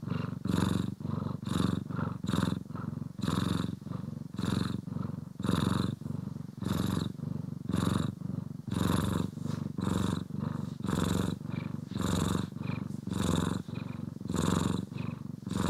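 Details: Purring house cat, Poki or Kiwi, being brushed and groomed, captured in stereo: long, even rumbling purr with rhythmic breath-driven surges close to once per second, no voices or other noises.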